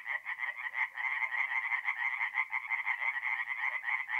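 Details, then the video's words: Night chorus of tree frogs at a forest pond, north-east Italy, mid-April; fast, rattling croaks pulse several times a second in rolling waves of loudness, many callers overlapping. "relaxing forest pond by night with singing tree frogs"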